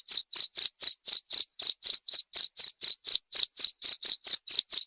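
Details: Continuous cricket chirping: short, shrill, evenly spaced pulses near four per second, loud and clear against a silent background.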